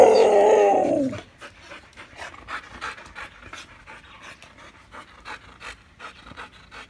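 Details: Siberian huskies competing over a treat stick, three trying to take it from one; a brief whine-like harmonic sound opens, then soft, rapid, fairly regular panting breaths at about 200 per minute continue quietly to the end.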